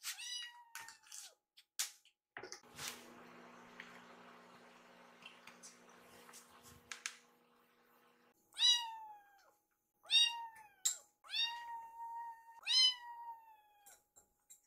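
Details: Rescued kittens named Yuki and Piyo, foster kittens indoors waiting for food, give high meows with stacked harmonics, several in a quick burst early then a cluster near the end, with a steady low hum and room noise in between.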